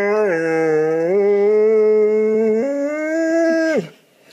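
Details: Pet dog indoors, asked whether it wants dinner, answers with a long steady howl-like moan of about four seconds that steps up in pitch twice before breaking off, followed by near silence.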